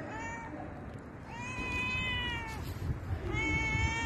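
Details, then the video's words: Stroked house cat uttering a soft short mew, then a long, steady, gently falling meow, then another meow starting at the end, over quiet background hiss. "Beautiful and soothing cat sound"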